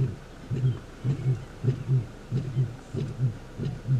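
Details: Big male lion calling during a territorial dispute and takeover in the far southern Kruger National Park, morning; a fast run of deep throbbing grunts, about two per second, steady and low, with faint background hum.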